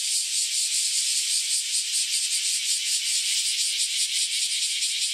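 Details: Freshly emerged cicadas, after about ten years of life underground, sing together in a harsh, high, sizzling wall of sound, pulsing quickly and steadily without pause.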